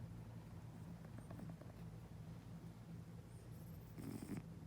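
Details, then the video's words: Sleeping cat snoring with a soft, steady, low rumbling breath that continues evenly, with a faint higher rustle near the end. "Cat Snoring"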